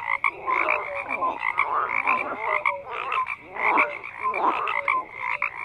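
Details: Massed frog croaking, rhythmic bursts of harsh pulsed calls and short clear notes repeating about twice a second across the chorus.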